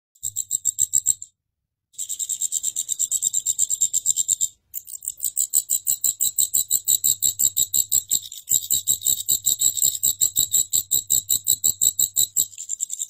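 A grasshopper makes a high, dry, rasping buzz of rapid pulses, broken by a couple of brief pauses.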